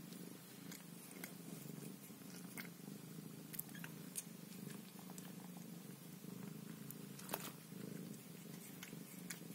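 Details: Scottish Fold mother cat indoors tending her Scottish Fold kittens; steady, low, rumbling purr throughout, with soft clicks and small rustling sounds over it.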